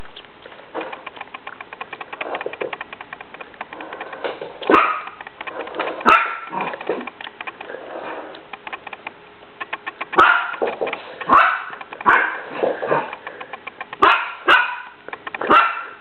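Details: Dog indoors barking while a vacuum cleaner runs, sharp barks coming in short bursts and clusters, some single loud yaps, over a steady whirring machine hum.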